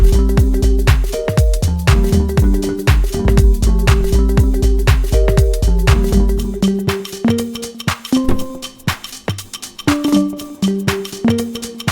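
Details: Loud electronic dance music with a thumping beat and repeating synth notes, no animal sound.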